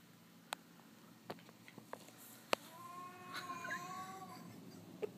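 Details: Cat meowing in darkness: several sharp taps and clicks, then one drawn-out, level meow lasting over a second, fairly quiet against a low background hum.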